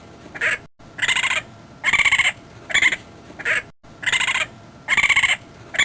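A raccoon gives harsh, buzzy chittering bursts, each a quavering trill, repeated roughly once a second.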